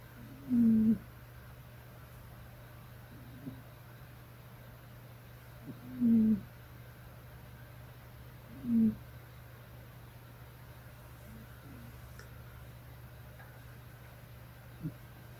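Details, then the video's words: A sleeping cat snoring, three short throaty snores at uneven gaps of roughly three to five seconds, each under half a second, over a steady low electrical hum in an otherwise quiet room. "고양이 코골이"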